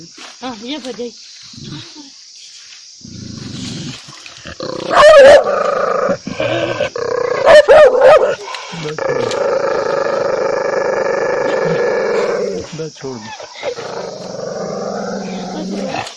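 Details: Angry dog barking loudly: long rough, droning growls broken by sharp loud bursts, with human voices talking at the start and in between.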